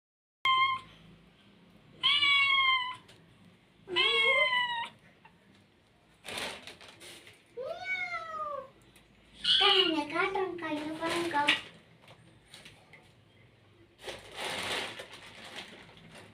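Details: Domestic cat giving a series of loud, drawn-out meows with strong harmonics, some rising then falling, one wavering and long, spaced a couple of seconds apart, with bursts of noise and a brief human voice between.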